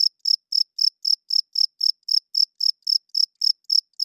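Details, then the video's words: Cricket calling loudly after dark, evenly spaced high chirps arriving about four times a second, each short and shrill, against silence. "40 Minutes of Cricket Chirping Sounds - Cricket klinkt 's nachts luid"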